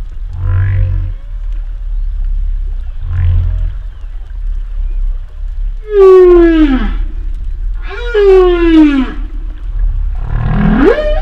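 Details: Humpback whale vocalizing: two soft low moans, then loud drawn-out descending wails rich in overtones, and a final rising cry, over a constant low underwater rumble.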